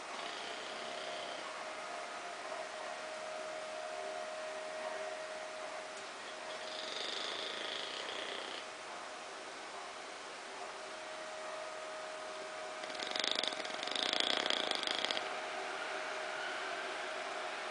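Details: Bulldog named Ozzy snoring while asleep on a small sofa, a steady raspy breathing texture with two louder rough snore bursts, over a constant faint hum.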